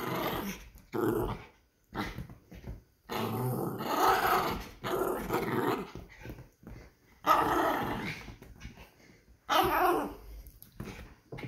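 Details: Playful poodle dog growling during play. Rough, noisy growls come in uneven bursts of one to two seconds, separated by short pauses, across about eleven seconds.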